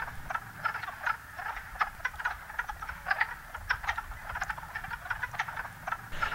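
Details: In daytime in spring at a New England vernal pool, a breeding chorus of male wood frogs gives rapid, overlapping duck-like clucks to attract females, several males swarming one female.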